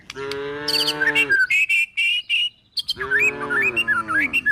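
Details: Cows and calves, tame and hungry, being driven toward a forest. Two sustained, even moos open and close the sequence, with lively bird chirps and whistles in the gap and over the second call.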